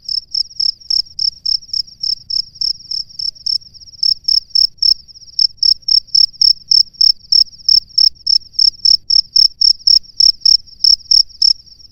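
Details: Calling from its nest, a male cricket summons a female with a long, steady series of sharp, high-pitched chirps, about four per second. A brief hitch near the fourth second breaks the run, then the chirping resumes evenly.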